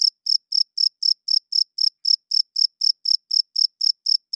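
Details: Loud night-time chirping of a cricket, made by the male's wings to court females and claim territory: bright, shrill pulses at a brisk, even pace of nearly four per second, with nothing else audible.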